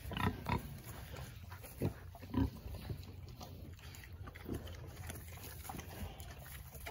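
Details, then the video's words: Berkshire piglets being hand fed give short, low, rough grunts at irregular intervals, with a few louder bursts near the start and quieter ones later. Faint background rustling is also heard. "Berkshire pigs"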